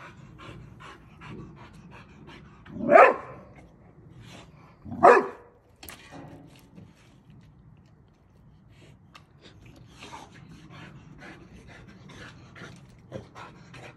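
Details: Boxer dog Millie at play with a water balloon: two loud, rising barks about two seconds apart, surrounded by steady panting and light rustling.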